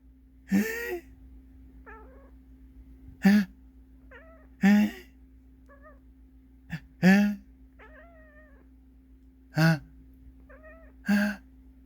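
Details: A pet cat that dislikes sneezing sounds gives short, soft, wavering meows between six loud, abrupt sneeze bursts spaced a few seconds apart, with a steady low hum underneath.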